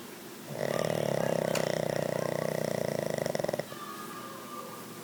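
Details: Sleeping at home, the Pug Bruce lets out one drawn-out snore lasting about three seconds, rattling and fluttering with rapid buzzy pulses, then it fades into soft breathing.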